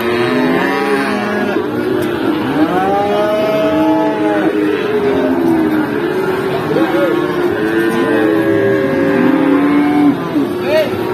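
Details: Several feeder cattle moo repeatedly at the Pati cattle market in Indonesia, their bending, harmonic calls overlapping constantly amid vehicle rumble and distant voices.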